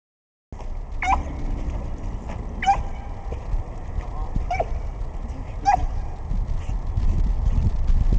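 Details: Ava, a playful pit bull, barking as she swims and attacks the water; short sharp high barks roughly every one and a half seconds over splashing and low rumbling background.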